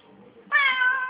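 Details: Talking Siamese cat gives a sudden loud meow that starts sharply and holds a level, nasal tone until the end, with quiet room sound before it.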